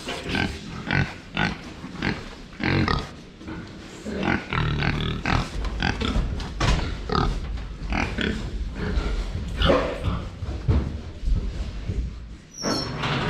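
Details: Several domestic pigs crowding in to drink water, uttering a steady stream of short, low, broadband grunts and snorts, one after another, with clatter and movement noise between them.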